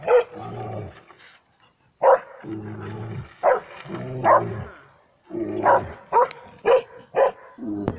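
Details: Dog in a bear test in Kittilä, Finland, on 13 July 2019, barking at a mechanical bear; sharp barks mixed with lower drawn-out growling yowls, a brief quiet gap near two seconds, then fast repeated barks.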